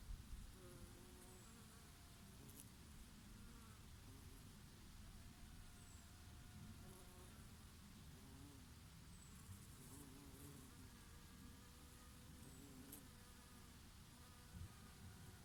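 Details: Bees feeding on oregano flowers on a summer day, perhaps with a bumblebee among them. Steady, layered droning hum with wavering tones that rise and fall as individual insects pass. A soft breeze and a few faint high chirps sit in the background.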